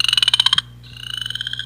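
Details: Chorus frog call played on a Muscatine radio program by a county conservation naturalist, a frog of ponds and creeks; two rapid pulsed trills, the second a long rising string of clicks, over a steady low hum.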